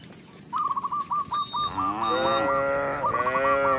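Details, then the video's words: In a rural village, a tame cow led back to its pen lets out one sustained, rich moo that swells and holds, preceded by a rapid run of short, high chirping whistles. "Cow Sound, Funny Cow, Cow Moo"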